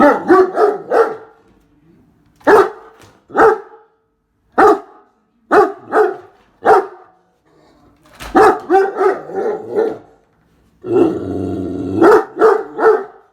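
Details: Indoor Great Dane barking at a running vacuum cleaner, which it hates; deep, loud barks in irregular bursts of one to four, with the vacuum's steady hum rising near the end.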